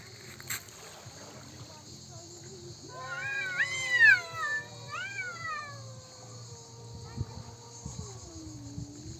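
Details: Talking domestic cats: after a quiet start, a loud, bending meow rises and dips, then a second shorter warble and a long falling tail, over a low steady hum with scattered rustles.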